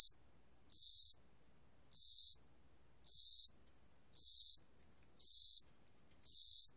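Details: Cricket calling in spring and summer: a regular series of short, high-pitched trilled chirps, roughly one per second, in an otherwise quiet setting.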